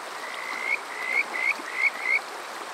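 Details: At Water Park Shirayama in Yokoze, Chichibu, Saitama, Japan, on a summer night, a Kajika frog gives five clear rising whistles, each sliding upward and spaced about a third of a second apart, above soft flowing water. Captured on a TASCAM DR-05X.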